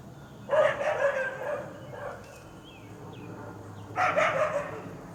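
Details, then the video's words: Alarm barking from a yard dog in Quitman, Mississippi, on 13 April 2016, provoked by a feral cat that stayed put instead of running; a loud double bark, a pause with faint bird chirps, then another loud bark. "Apparently there's a feral cat over there, and that's what's causing this dog to bark."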